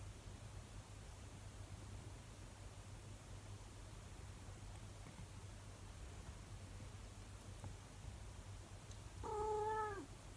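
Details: Monkey, a 24-year-old calico cat (Felis catus), gives a short, drawn-out howl that wavers and drops at the end over a low hum, while getting curious about the camera.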